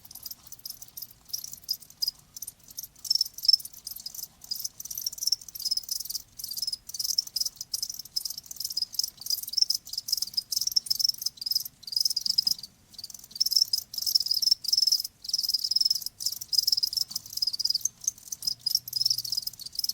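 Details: Continuous cricket chorus of high, shrill chirps, closely packed pulses running without pause throughout, faint low hum underneath.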